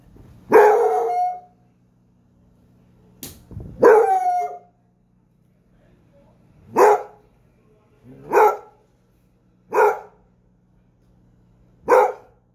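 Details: A single Basset Hound barking: a long, drawn-out bay first, then a second howling bark, followed by four short, punchy barks spaced about one and a half seconds apart; a low steady hum runs underneath.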